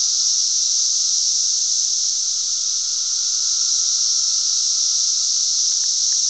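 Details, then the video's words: Cicadas in Glen Ellyn, Illinois, on June 10, 2007, fill the air with a loud, steady, high-pitched buzzing drone that never lets up. "cicadas making a lotta noise."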